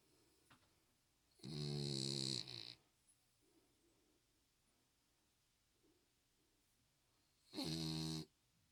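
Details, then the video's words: Spitz dog named Chyong-i, now healthier, snoring indoors: two loud, rasping, harmonic snores, the first lasting over a second and the second shorter, separated by several seconds of quiet breathing. "건강해진 춍이 코골이"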